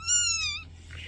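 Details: Brief high kitten meow, about half a second, tonal and gently falling at the end, followed by a faint breathy noise, with low hum in the background.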